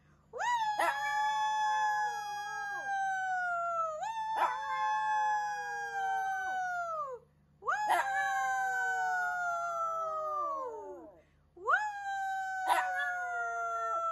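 A Shih Tzu howls in long, high, wavering notes that rise quickly and then slowly sag.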